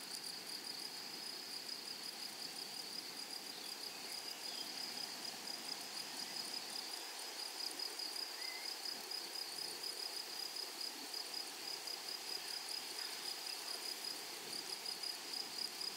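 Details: Grasshoppers in a flowery meadow: a continuous high, shrill, pulsing trill runs steadily throughout, with a faint, fainter second layer higher still and a few soft chirps in the background.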